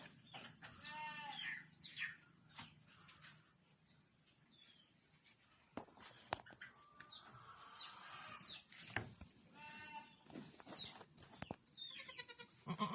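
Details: Newly born solid red Boer goat kids, male and female, at a goat farm; quavering high bleats near one second and again around nine to ten seconds, separated by clatter, rustling and handling noise.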